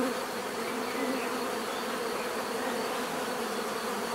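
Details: Bees giving a natural, steady buzzing: a dense swarm hum with low droning bands and a thin high whine that runs without break through the whole stretch, no other sounds standing out.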